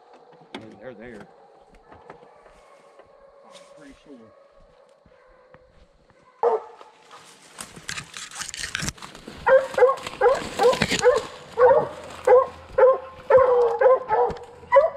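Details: Young Redbone Coonhounds out on a 2020 coon hunt, a male and a first-season female; after a quieter stretch with faint voices, a run of loud, evenly spaced barks starts midway and repeats roughly twice a second to the end.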